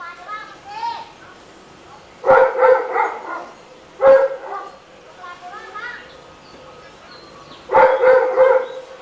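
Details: Rottweiler heard all day long in a neighborhood, giving three bursts of rapid double and triple barks, with fainter wavering whines or voices in the quiet gaps between them.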